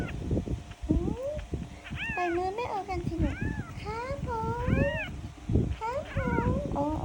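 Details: Kittens crying in quick overlapping mews, bright arched calls that rise then fall, tumbling one after another while a woman speaks in Thai and prepares to feed them milk; background music and handling noises underneath.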